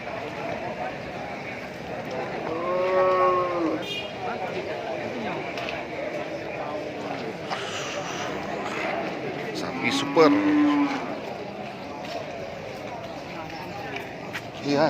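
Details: Brahman cattle at the Sibreh livestock market in Aceh Besar, on the first Wednesday after Eid al-Fitr 2021, held as stock for Qurban. A drawn-out, harmonic, wavering moo comes near the start and another about seven seconds later, over crowd chatter and market noise.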